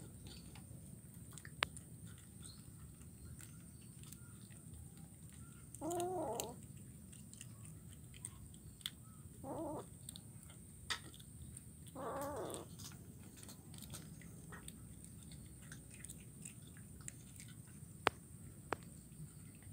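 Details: Kitten in Kuala Kapuas, Central Kalimantan, feeding on fish bones, recorded 17 July 2019. Three brief mewing calls are spaced a few seconds apart, with faint clicks and low background hum between them.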